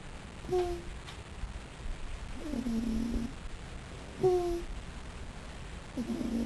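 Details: Molly the raccoon snoring while asleep: soft, low rasping snores about every three to four seconds, each paired with a brief squeaky tonal note, over steady background hiss.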